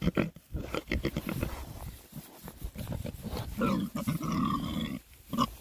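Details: Six young male Oxford Sandy and Black pigs (rare breed) foraging in winter between storms grunt in low, rough, irregular bursts, several voices overlapping, happy while foraging.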